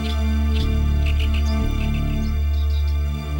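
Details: Soft, low instrumental background music plays throughout, with no animal sound.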